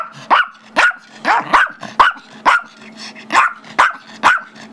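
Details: Five-year-old Chihuahua/Yorkie mix named Gizmo barking at a house on Feb 10, 2011, wanting the squeaky toy his younger Yorkie brother Tigger holds; sharp high yappy barks repeated about twice a second, nine in a row.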